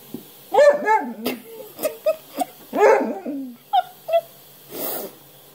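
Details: Basset Hound making a series of short whining yelps and grumbly barks, some rising and falling, about eight bursts in under six seconds, indoors. A soft rustle comes at the end.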